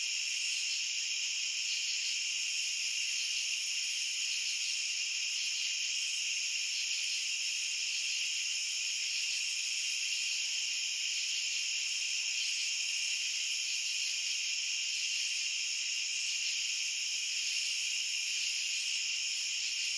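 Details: Unchanging cricket chorus: overlapping high-pitched trills merge into a continuous ringing drone that never drops or pauses, with no birds, wind or people heard.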